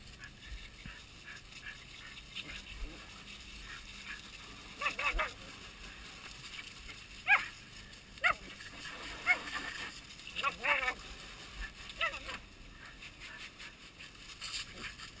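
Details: Two Border Collies, Nana and Zelda, playfully 'helping' clean a boat on July 1, 2012. Short, sharp barks and yelps come in scattered bursts, roughly six over fifteen seconds, over a steady background hiss.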